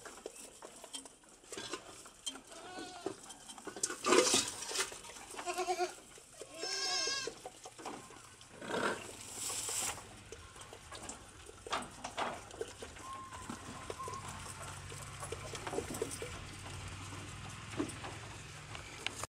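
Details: One-month-old goat kids learning to eat corn offal bleat in short harmonic cries, several around four to seven seconds, with clattering, rustling and scraping between calls.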